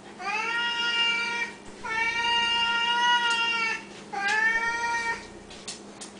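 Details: Siamese cats at mealtime, normal behaviour for them: three loud, drawn-out, level yowls, each one to two seconds long, separated by short pauses in a quiet room.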